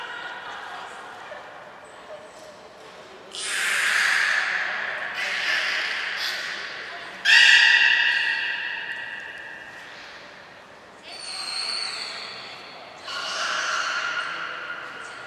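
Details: Captive beluga whales Hodoi, Gray, Nana and Niko in a training session at Port of Nagoya Public Aquarium, 5 June 2021. Five harsh, buzzy calls rich in overtones are spaced through an indoor hall; one carries a brief steady whistled tone.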